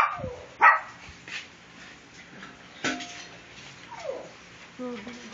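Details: Puppies at milk time at a kennel, February 24, 2014: scattered short yelps and a falling whine, with sharp clicks and knocks between quiet gaps and a brief high squeal near the end.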